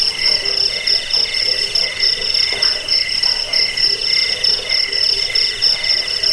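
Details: Crickets heard in a recording meant to repel rats, aid sleep and tutor cage birds; continuous shrill pulsed trilling on a high tone with a softer mid-pitched pulsing layer and faint low throbbing notes.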